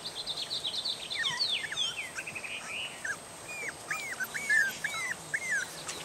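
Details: Three-and-a-half-week-old puppies from Mooney and Jordi's litter, set out in the yard after being woken and wanting their mother to feed them. Tangled high squeals at first, then a steady run of separate rising-falling whines about every half second.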